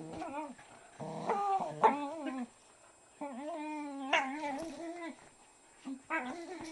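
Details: Shiba Inu Mika play-fighting with 4-month-old Yuma over a green turtle toy, retaliating with a jowl grab while making his famous shiba-monkey noises: loud, whiny, wavering yodel-like howls in bursts of one to two seconds, separated by short pauses.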